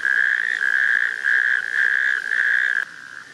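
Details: A natterjack toad calls on 19 June 2024 at a sand pit in Wendland, Northern Germany, after rain filled shallow water: a loud, rasping, steady mid-pitched churr in long unbroken bursts.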